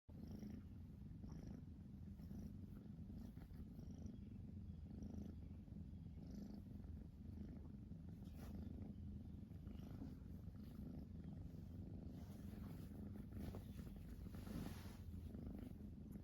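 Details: Siamese kitten purring continuously while biting, a steady low rumbling purr throughout with faint clicks and small rustles on top; quiet, close recording.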